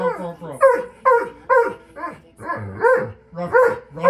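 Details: A singing pet dog named Loki gives steady, repeated sliding woo-woo notes with rich overtones, each dropping in pitch, roughly two per second.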